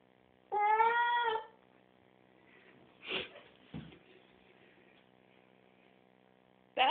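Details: Oliver, a pet cat in the tub after a bath, lets out a long harmonic meow, then soft scuffs and a short thump, and a second meow begins at the very end.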